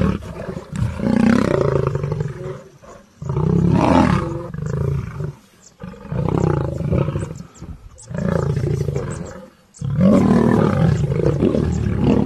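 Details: Lion of Serengeti National Park roaring: deep, rumbling bouts of several seconds each, separated by short pauses, with heavy low-pitched grunting pulses throughout.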